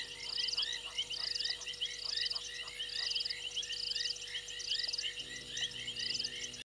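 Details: Night frog chorus at Gowrie dam, Djuma Game Reserve, South Africa, recorded by a waterhole camera in January: regular buzzy rattles roughly every second layered over many quick chirps, faint low hum in the background.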